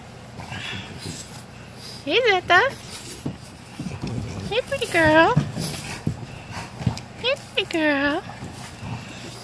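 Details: English Bulldog puppies, 20 days old, from the litter of Fiona and Valentino; several short rising-falling harmonic whines and squeals in clusters around two, five and eight seconds, with faint background noise between.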